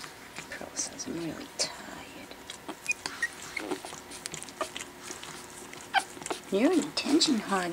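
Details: Four-week-old Pekingese puppies, four in a litter, playing indoors after dinner for the first time; short high whines and yips scattered through, a burst of wavering squeals near the end, with a woman talking and chewing, nibbling sounds.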